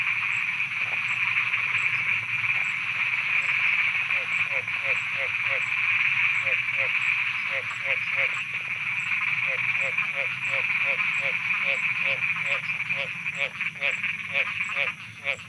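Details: Frogs croaking at night in Thailand: rapid trains of short pulsed croaks in runs, over a steady high insect-like drone and faint periodic high ticks.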